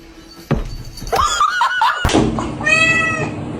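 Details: Domestic cat in a funny-cats compilation gives a wavering, drawn-out meow that rises and falls, then a shorter harmonic meow near the end. A sharp thump comes first, and a person speaks in the background.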